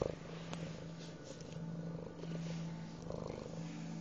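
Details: Close, steady purring from a male house cat known for fetching sticks: a deep, rhythmic, vibrating rumble pulsing evenly without pause.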